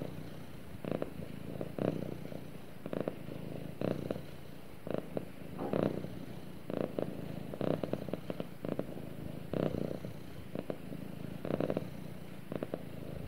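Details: Domestic cat purring while snuggling with its owner: a steady low rumble throughout, with brief louder broadband bursts roughly every two seconds, likely movement or rustling close to the microphone.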